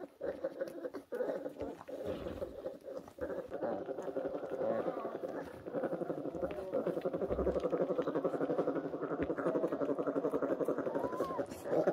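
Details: Tiny orphaned brown bear cubs, rescued as new-borns in 2023 and kept at a rescue centre: a steady, buzzy, pulsing hum that runs for the whole stretch, with a few faint higher squeals over it.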